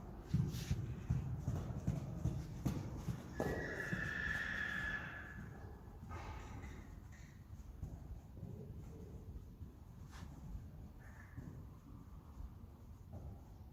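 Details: Friesian horse mare from a herd gives one wavering, high whinny lasting about two seconds, set among steady clip-clop of hooves and low rumbling movement, with a brief fainter call later.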